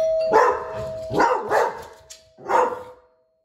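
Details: Australian Shepherd, a 25 kg medium-sized dog, barking indoors while its noise level is measured with a sound-meter app; four loud broad barks in about three seconds, two close together, with a faint steady tone underneath.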